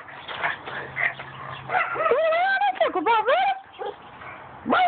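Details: A pug named Vader, recorded on an Android phone, gives wavering, whine-like howls that rise and dip in pitch, with several drawn-out warbling notes in the middle and a short yelp at the end, over people talking.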